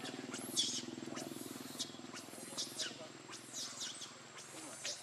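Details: Baby monkey Lucie, very hungry for milk, crying: thin, high squeals that arch up and fall, several in quick succession over five seconds, above a low steady hum.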